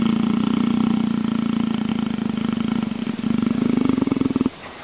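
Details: Leopard rumbling while someone scratches it: a continuous low throbbing purr, rising slightly in pitch and growing more strongly pulsed near the end before stopping abruptly.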